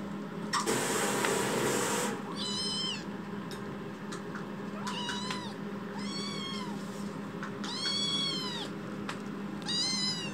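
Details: Chitchi, a rescued baby kitten in foster care, crying loudly while wandering the room after waking: a brief hiss of noise, then a series of high bent meows every second or so, some doubled, over low hum.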